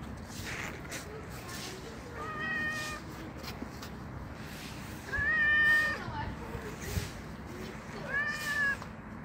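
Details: Black street cat fed on a bench outdoors, meowing three times at roughly three-second intervals, each meow a tonal, harmonic, slightly arched cry, the middle one loudest, amid outdoor background noise and a few short spoken words.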